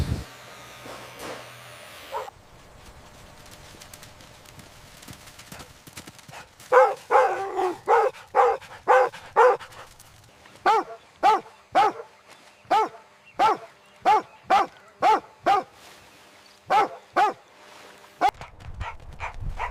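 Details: Puppies running, jumping and play-fighting on green grass bark in a long regular series, about two barks a second, after a quieter start with panting and soft yips, and low rumbling noise near the end.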